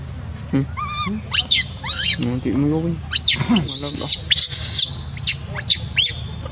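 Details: A crying monkey gives a rapid run of varied calls: rising and falling tonal whimpers, a few lower wavering moans, and loud harsh screeches in the middle, over faint low rumble.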